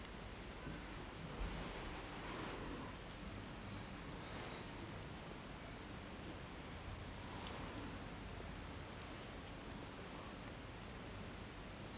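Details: Steady hiss of room noise with faint rustles, no animal voice heard.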